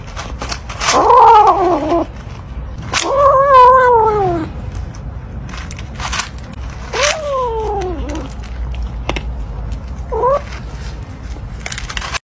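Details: Greedy kitten calling: several drawn-out, wavering meows, some rising then falling and sliding downward, separated by pauses, with sharp clicks and rustling noise in between.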